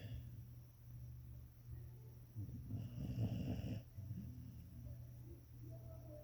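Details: A sleeping English Springer Spaniel snores with low, rumbling breaths, swelling into a louder rasping snort midway.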